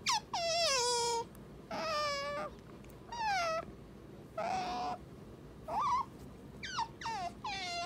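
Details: Pet female otter at home, giving a series of about eight high, squealing chirps, each bending downward or wavering, spaced roughly a second apart, over quiet room background.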